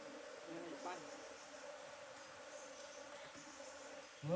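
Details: Bees at a nest being cut open; a steady, low droning hum runs through the whole stretch, with people talking nearby and a sharp knock right at the end.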